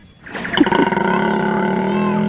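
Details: Male koala mating bellow, replayed during a vet quiz answer reveal: a deep, rough, drawn-out roar with dense, steady harmonics, starting abruptly and holding at an even level throughout.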